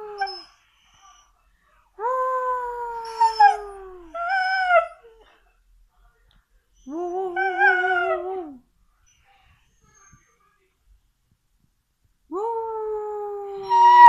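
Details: Siberian Husky giving a series of howls: long falling notes, a short break, then a warbling, quavering howl that drops at its end, and a final rising howl after a long silence.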